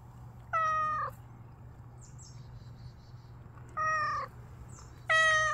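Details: Street cat hiding and waiting for a chance to eat, giving three clear meows, each about half a second long and slightly falling, spaced irregularly over a few seconds above a steady low hum.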